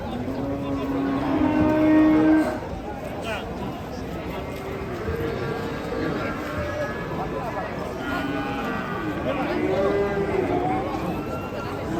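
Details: Agitated cattle in an Indonesian pen moo repeatedly, a loud bellow around two seconds then lower, wavering moos that rise and fall, amid continuous murmur of people and yard noise.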